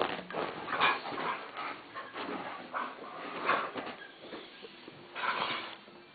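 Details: Two Welsh Springer Spaniels, Frauke and Aisling, beg for food at mealtime and are made to wait. Continuous whining and whimpering rise and fall in pitch, with a few short barks and louder bursts near the end.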